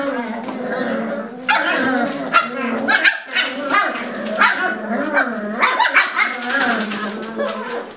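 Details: Lagotto Romagnolo puppies scuffling together in a puppy pen: a busy stream of short, high yips, squeaks and whiny squeals at uneven intervals, with human voices talking in the background.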